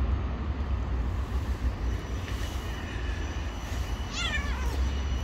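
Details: Stray cat living on the street gives a single short, bright meow near the end, rising then falling, over a steady low rumble of traffic.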